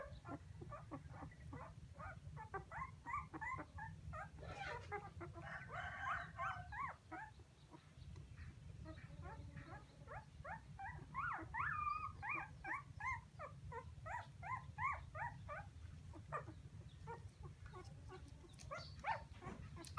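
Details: Puppies crying for their missing mother: rapid, overlapping short whining cries, several a second, with a brief pause near seven seconds before the high whimpers resume; a steady low rumble runs beneath throughout.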